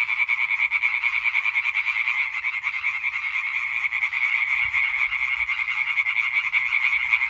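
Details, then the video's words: European treefrogs singing together on 20 May 2023; a fast, relentless stream of clacking croaks from many frogs overlaps into a steady pulsing chorus, loud from start to finish. "Hyla arborea Konzert Concert"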